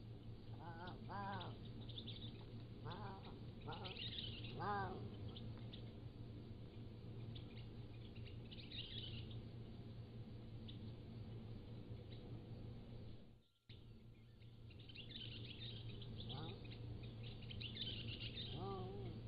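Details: Pallas's cat kittens, 3 to 7 weeks old, at a wildcat zoo, on a trail camera: scattered short wavering mews throughout, mixed with higher chirping birds, possibly peacocks, and a steady low hum.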